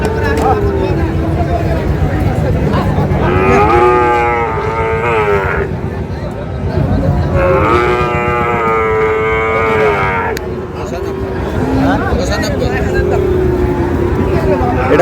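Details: Market cattle, Friesian and crossbreed bull calves, at Ambari haat, Dinajpur, Bangladesh, on 24 August, give two long, drawn-out lowing moos a few seconds apart. Softer bovine grunts follow amid constant background crowd noise.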